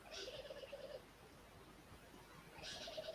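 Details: At a waterhole, a squirrel gives a rapid, pulsed chattering alarm call in two bursts, warning of a nearby female leopard.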